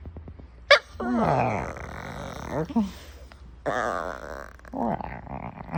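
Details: Attention-seeking female puppy lets out grumbling, groan-like vocalisations with sliding pitch, two main bouts after a sharp click near the start, in a small room.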